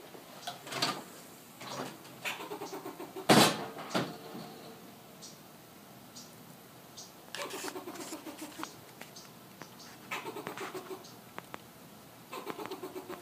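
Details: Fox squirrel in Southern California giving loose bouts of pulsed, nasal chatter: a sharp, loud click near the start, then runs of low barking notes that fade and return several times over about thirteen seconds.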